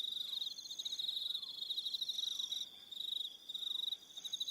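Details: Evening crickets on Aroha Island, New Zealand, trilling in a steady high pulsed chorus with a few thinner, higher buzzing tones layered above; the trill drops out briefly twice, and faint soft down-slurred notes sound lower in the background.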